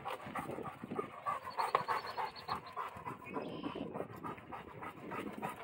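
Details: Central Asian Shepherd dog on a diet, heavy rhythmic panting at roughly three quick breaths per second, breathy and even, with a faint whistling tone and quiet ambient noise behind.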